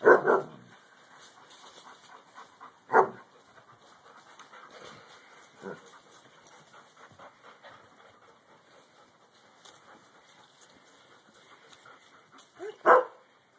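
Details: A young Alaskan Malamute squaring up to his father: a short bark opens, another follows three seconds later, then near silence with faint shuffling before a final sharp bark.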